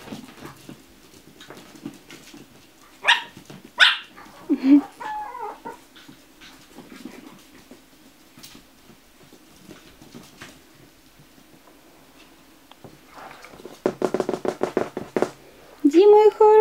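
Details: Chihuahua puppies at a kennel: brief tonal whines and yelps rising and falling, scattered soft sounds, then a quick run of high yaps and a final drawn-out whine, with a person's voice speaking to them in between.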